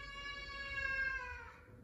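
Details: A male F2 Savannah cat, talking to its owner, who suspects he is asking for chicken, gives one sustained, nasal meow lasting over a second, level and rich before drooping slightly and fading.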